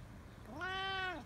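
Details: House cat uttering one clear, sustained meow that rises, holds steady, then falls away at the end, lasting under a second.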